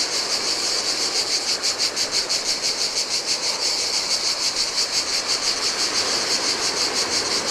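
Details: Cicadas calling in hot weather by the sea on a lonely Greek island beach, Adriatic waters nearby: loud, high, rhythmically pulsing drone, about three pulses per second, with breaking-wave noise in the background.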